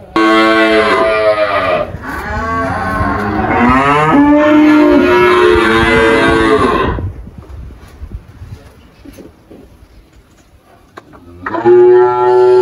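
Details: An 18-year-old spotted Girolando cow named Malhada, kept on a farm in Anápolis, Goiás, Brazil, lows in long, sustained bellows for about seven seconds, falls quiet, then starts another moo near the end.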